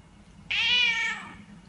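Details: Domestic cat in a funny pet compilation lets out one clear, sustained meow lasting roughly seven tenths of a second, strong and even before fading, with quiet background hum and people talking nearby.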